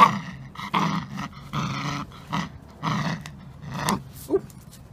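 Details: Samoyed named Halo pulling on a rope during a game of tug, growling; throaty, harmonic growl bursts come in quick pulses about every two-thirds of a second, with short breaks between them.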